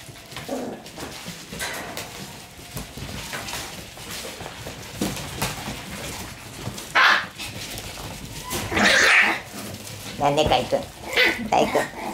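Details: Shiba Inu puppies battling over a toy in earnest: soft growls early on, then sharp high yelping barks near seven, nine and ten seconds, with scuffling between.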